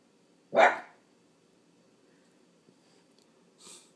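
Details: Boston terrier frenchton dog acting as a watchdog gives a single loud, sharp bark early on, followed by quiet room hum and a faint brief sound near the end.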